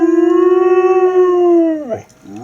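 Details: Siberian husky puppy howling: one long, steady, tonal note that holds level, then sags and breaks off near the end.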